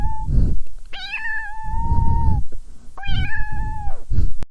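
A Maine Coon cat calls with a short opening note, then two long meows that hold a steady pitch before dropping away at the end. Low thumping and rumbling noise sits beneath the calls.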